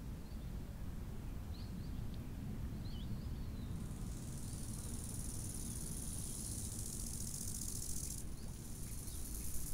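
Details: Cricket at a summer lakeside, a dense high-pitched buzzing trill running unbroken for about four seconds. A few faint bird notes come earlier, and a constant low wind roar sits underneath.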